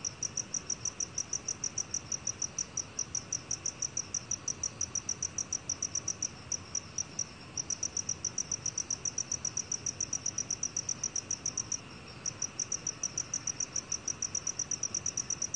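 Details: A black field cricket gives a steady train of sharp, high-pitched chirps repeated several times a second, with short breaks around six to seven and twelve seconds; faint low rumble underneath.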